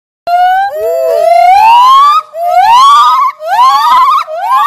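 A gibbon gives loud, pure whooping notes that swoop steeply upward, one after another.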